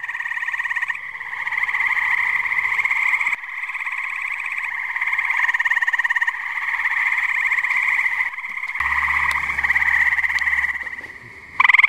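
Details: Pond chorus of tree frogs on a muggy New Jersey night: continuous fast-pulsing trills from many frogs in overlapping waves, with a sharp loud burst from a nearby caller at the very end.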